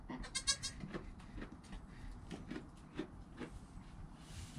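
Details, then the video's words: Newborn goat kid Joel, within an hour of birth beside his calm mother Penny, filmed on a GoPro: a few faint, short harmonic bleats early on, then soft rustling and low background noise. "Baby Goat - One Hour Sound and Video"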